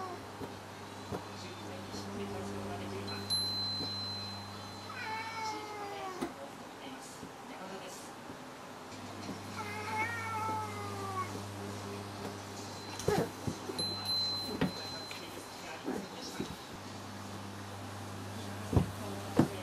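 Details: One of two brother cats meowing in short, bent, harmonic calls around the middle, with scattered clicks and knocks over a continuous low hum and a thin high whine.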